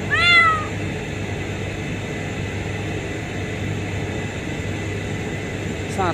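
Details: A refinery kitten discovered beneath a pipe gives a sharp arched meow, then after a long pause another short cry, against constant low industrial droning and a nearby voice.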